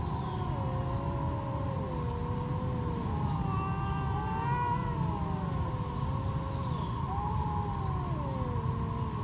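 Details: Two stray cats trash talking in a standoff, trading long, wavering yowls that rise and sag in drawn-out moans, overlapping at times, over a steady low hum and constant low rumbling background noise.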